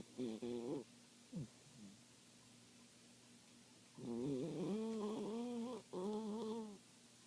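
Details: Snoring Papillon: a short nasal snort at the start, a quiet pause, then two sustained buzzing snores with a rising and falling pitch, each lasting over a second, separated by a brief gap.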